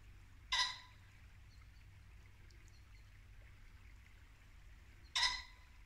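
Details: Two sharp, isolated barks from a muntjac deer about four seconds apart, Norfolk woodland at dusk in late winter, with a brook trickling quietly beneath.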